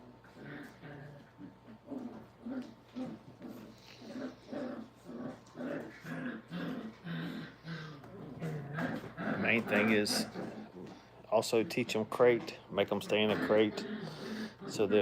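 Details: Five-week-old puppies having fun together indoors at a dog training kennel: a run of short, rapid, low grunting growls repeated roughly twice a second, then louder whining yelps and squeals toward the end, with a person talking nearby.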